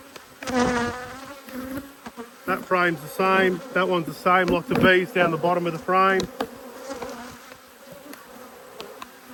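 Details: Honey bees from two hives riled by an inspection on 5 March 2022 buzz past close up: a run of loud, pitch-shifting droning bursts, each a second or less, rising and falling as individual bees sweep by, over a low background hum.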